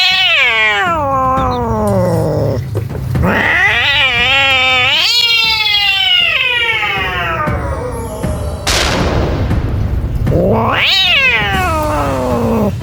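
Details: Scared street cats letting out loud, long wailing yowls that swoop upward then slide slowly down, repeated in several drawn-out bouts with a brief hiss-like burst between them.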